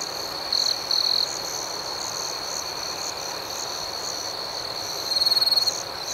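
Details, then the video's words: Crickets at night in a calm outdoor setting, a steady high-pitched chirping drone with two louder buzzy trills near the start and another pulsing trill toward the end. "Soothing Cricket Sounds"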